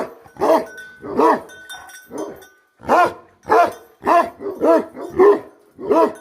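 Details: A Tibetan Mastiff (Bhote Kukur) livestock guardian dog barks deeply and repeatedly, with loud booming woofs about once a second.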